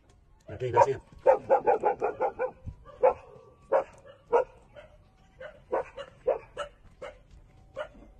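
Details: Newborn puppies, 27 days old, suckling milk from their mother; short squeaky whimpers and yelps, about a dozen in eight seconds, several coming in a quick run early on, then spaced singly.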